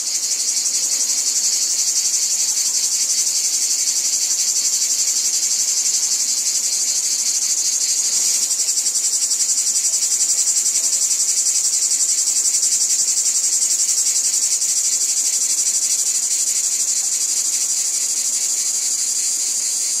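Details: Many cicadas buzzing together in a wheat field, a sustained high-pitched rattling hum with fast regular pulses, steady in loudness for the whole stretch.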